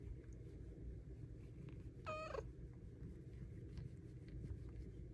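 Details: Pet cat Luna asking for belly rubs gives one brief falling meow midway, set against a steady low rumble.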